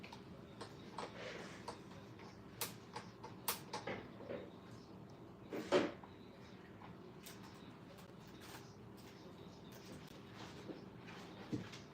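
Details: Quiet indoor room with scattered ticks, taps and knocks, including one louder sharp knock near the middle, and no animal voice.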